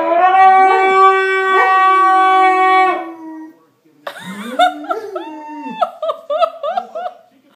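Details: Greater Swiss Mountain Dog howling: a strong, sustained, even tone held for about three seconds. After a short silence, a broken run of quick yodelling yowls that swoop up and down in pitch.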